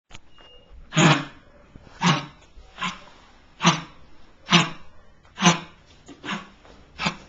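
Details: Lakeland Terrier named Marley, a rescue dog hospitalized with a respiratory infection, barks indoors in a small room: eight sharp, broadband barks spaced roughly a second apart, loud and slightly irregular, with a brief spoken question afterward.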